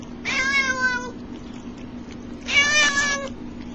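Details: Domestic cat making funny sounds indoors: two drawn-out, nasal meows, each under a second long and about two seconds apart, over a steady low electrical hum.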